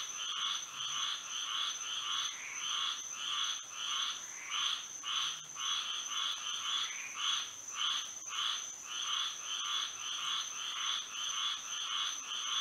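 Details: Florida frogs calling at night in moonlight, a long run of buzzy pulsed croaks repeated steadily near twice per second, many voices layered together, and a continuous high whine in the background.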